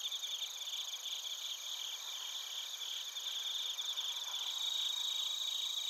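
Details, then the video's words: Bell crickets and other crickets chirping in Narita, Chiba Prefecture, Japan, captured on a TASCAM Portacapture X8: a dense, high-pitched chorus of steady trilled tones with rapid pulsed chirps on top, swelling slightly louder toward the end. "スズムシとコオロギの鳴き声 - Chirping of crickets"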